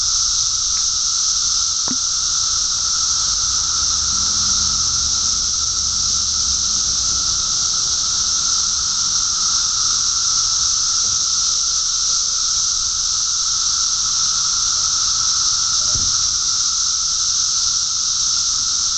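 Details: Thousands of 17-year periodical cicadas during a mass emergence in Park Ridge, Illinois, fill the air with a continuous, unbroken high-pitched droning chorus, a steady roar with no pauses, and a faint lower hum running beneath it.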